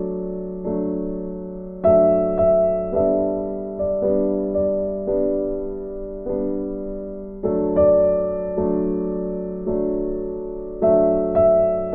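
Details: Gentle piano melody with repeated struck notes and no animal sounds present.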